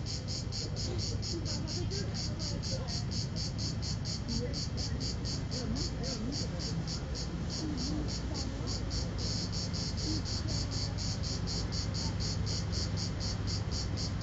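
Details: Final cicada of 2010 at Vello, Brescia, Italy, recorded 4 September at 16:04 with a phone: a long run of evenly spaced high buzzy pulses, around three per second, over persistent low-frequency noise.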